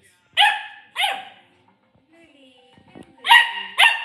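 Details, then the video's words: Corgi puppy barking at a cup: four sharp, high-pitched barks, two close together at the start and two more after a short pause with faint soft sounds between. "barking at a cup"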